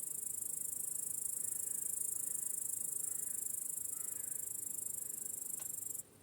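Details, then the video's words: Crickets in an evening meadow at sunset give a continuous, shrill, rapidly pulsed chirping that runs unbroken for about six seconds before stopping abruptly, with faint softer calls underneath. "Crickets Chirping in a Peaceful Meadow"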